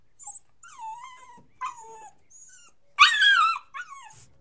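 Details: Puppy crying and whining: thin high whimpers sliding downward, several separate cries with one louder harsh wavering yelp near the end, quiet pauses between.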